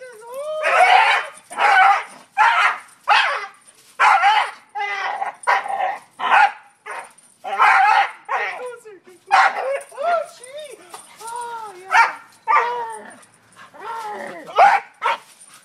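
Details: A dog attacking a tree for no known reason makes a rapid string of about twenty yips and barks with some rising and falling whines, and a person talks at times.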